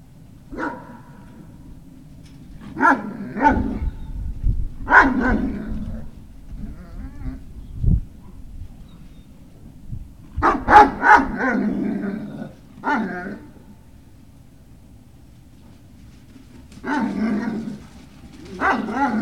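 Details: Great Dane puppies at Puppy Hill, recorded 18 November 2018 in the early afternoon, giving short harmonic whines and yelps in clustered bursts separated by quiet pauses, several calls overlapping at times, over a low steady background hum.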